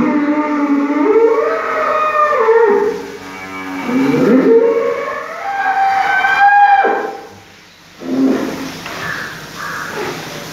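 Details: Aggressive Holstein Friesian bull bellowing: several drawn-out, harmonic moos with wavering, sliding pitch follow one another closely, then a shorter, quieter call near the end.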